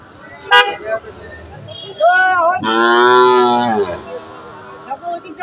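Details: Cattle at a cattle market: a short tonal cry, then one drawn-out, steady moo lasting about a second and a half that falls away at the end, over a background of crowd chatter and market noise.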